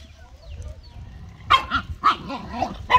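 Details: Household dogs giving a run of short, rough barks, about five in under two seconds, irregularly spaced after a quiet start with faint background murmur.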